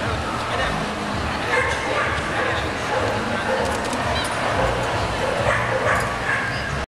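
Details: A female Alaskan Malamute at the European Dog Show in Brno, Czech Republic, on 23 October 2014, gives short barks and yips over a steady murmur of people talking.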